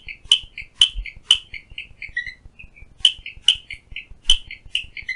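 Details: Clicking stream frog (Strongylopus grayii) advertisement call outside a window at Phillipskop Mountain Reserve, Stanford, Western Cape, South Africa: sharp, high clicks in quick runs of three, about two per second.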